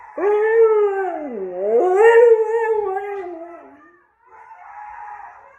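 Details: Male husky answering howling wolves with a drawn-out, mournful howl: the pitch dips low, slides back up, holds, then trails downward; after a brief silence, a softer, breathier howl follows.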